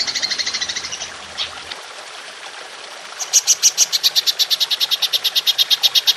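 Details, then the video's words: Golden grasshopper in a long-shot 'nembak panjang' calling style, recorded as a training tape for songbirds. A rapid high pulsed buzz fades out, then after a short pause a new series of sharp, evenly spaced high pulses begins. "Belalang Emas Nembak Panjang"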